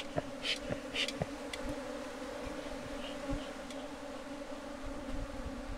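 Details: Steady low buzzing of a bee colony around a bee box in beekeeping. A few scattered clicks and brief high ticks break in early on.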